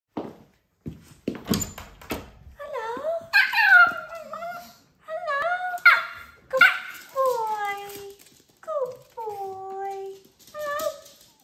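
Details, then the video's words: Japanese Chin dogs greeting their owners on arriving home indoors: a few sharp clicks and yaps, then a run of high, drawn-out whining cries that slide downward, coming in bursts of about one second with short pauses. "Japanese Chin Dog Saying hello"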